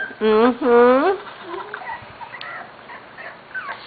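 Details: Corgi puppies from the Sugar and Charlie litter, almost six weeks old, first time in a play yard: two loud rising-falling whines with rich harmonics in quick succession, then faint squeaks and soft human talk in a small room.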